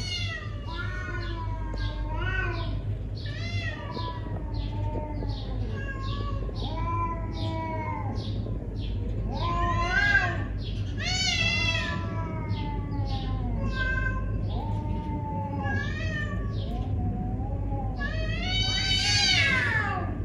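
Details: A neighbourhood cat in a confrontation gives long, wavering yowls and drawn-out howls that rise and fall, closely repeated throughout, over a steady low hum.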